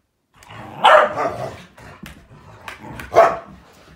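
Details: Malinois, Akita and Corgi wrestling together during morning playtime, giving harsh noisy growling barks, one long rasping outburst followed by a second sharp bark, with scuffling in between.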